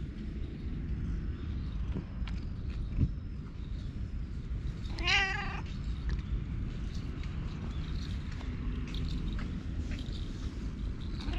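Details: Park-dwelling stray cat in Japan: one brief meow that bends up then down, clear and tonal, midway through an otherwise quiet stretch of low background rumble with faint scattered clicks.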